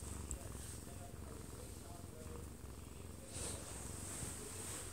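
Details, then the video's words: Munchkin cat, one year two months old with odd-coloured eyes, purring while falling asleep in a man's arms indoors, recorded close up; a low continuous rumbling purr, with a television playing in the background and soft talk. "아빠 품에서 자는 꼬부기 골골이 - 1살+2개월 오드아이 먼치킨 고양이"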